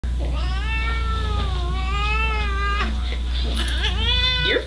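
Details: Domestic cat meowing loudly indoors, unhappy at being kept at a house she dislikes; long drawn-out wailing meows with rising and falling pitch, several in a row, over steady low hum and background music.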